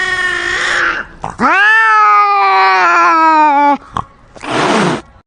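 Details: Cats fighting at close range: a hiss, then a long steady growling yowl lasting over two seconds with a strong harmonic stack, ending abruptly, followed by another hiss.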